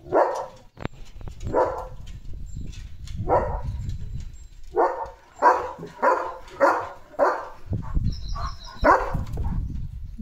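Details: Leo, a pet German Shepherd, bathed and drying off, barks in a long loose series of about a dozen strong, mid-pitched woofs, irregularly spaced, with low rumbling background noise between them.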